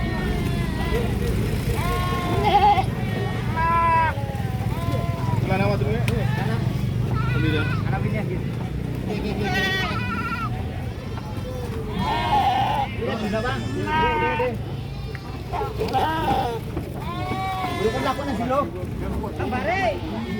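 Goats bleat repeatedly in wavering, nasal cries over a steady low rumble and voices.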